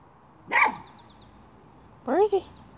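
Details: Miniature schnauzer hunting a chipmunk gives two short, sharp barks about one and a half seconds apart, the second more tonal with a rising then falling sweep, against a quiet background.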